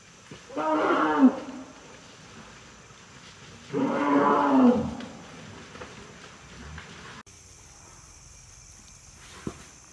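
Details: An Asian elephant from a herd of 25 wild elephants foraging at a forest edge outside a park in Nakhon Nayok around 22:00–22:30 on 29/09/2022 gives two loud, rasping roars a few seconds apart, night insects buzzing faintly.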